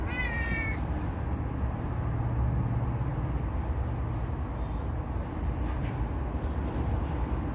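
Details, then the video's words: House cat that trusts a familiar person, wanting its belly petted. One brief meow right at the beginning, then only a continuous low hum. "น้องแมวให้ท่า-น่ารักไปนะ-เหมียวเหมียว ลูบๆเกาพุงสิ รออะไร"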